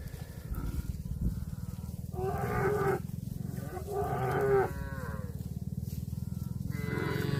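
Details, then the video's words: Grazing cattle moo three times in close succession: two rough, harmonic lows around two and four seconds, then a rising call at the end, all over constant low-pitched rumbling. "CUTE AND FUNNY COW SOUND EATING GRASS COMPILATION - COW MOOING- CON BO"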